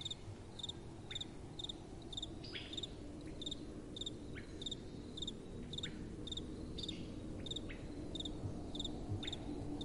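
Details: Night-time crickets give clear, high-pitched chirps at an even pace of roughly two per second, over a constant low hiss of gentle wind blowing.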